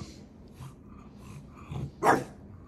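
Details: Dog named Maui pestering its big brother at home: low grumbling, then a single loud, sharp bark near the end.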